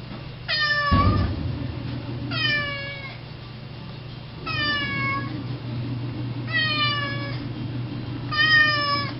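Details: Indoor cat meowing endlessly at the front door because it wants to go outside for grass; five long, harmonic meows that slide downward, spaced about two seconds apart, with a soft thump near the start and a low room hum.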